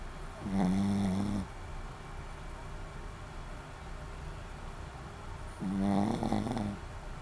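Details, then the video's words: Sleeping Shih Tzu Maron gives two loud, rattling snores, each lasting about a second, separated by roughly four seconds of quiet breathing against a low background hum. "シーズー まろんっていいます。 ３ いびきかいてます"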